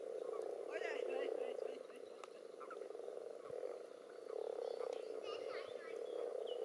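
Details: Common toads and various frogs tussling in a spawning pond, in an experimental above- and underwater recording. A steady low chorus ebbs and surges, mixed with rapid higher-pitched frog calls, sharp clicks and some disturbance noise.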